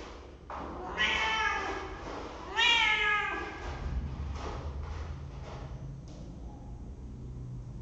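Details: Cat room webcam, December 23, 2015: a cat gives two clear, drawn-out meows about one and a half seconds apart, the second bending upward then down, with faint knocks and steady low hum behind.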